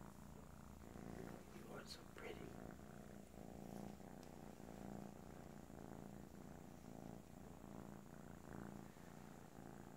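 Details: Kisha, a little kitten, purring loudly: a steady, low, rumbling purr that pulses continuously throughout, with a few soft spoken words near the beginning.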